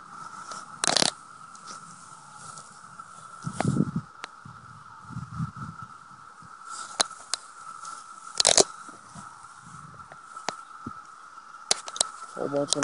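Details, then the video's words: Many 17-year cicadas gather on plants and a sumac tree near a house; their steady, unbroken droning buzz fills the air, with crunching and scraping handling noises and a few sharp knocks. "17-Year Cicadas, a lot of them"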